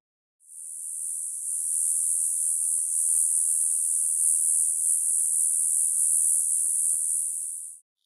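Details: Male cicada singing its love song, the kind heard in the hottest hours of summer days: one steady, high, hissing buzz held for about seven seconds that swells in briefly and then cuts off, with nothing else audible.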